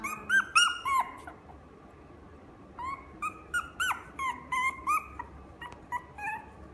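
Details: Maltese × Chihuahua cross at the Inu no Ie pet shop in Fuji, whining in high, bending, nasal yelps, several quick ones together, a pause, then a steady run of rising-falling whimpers indoors.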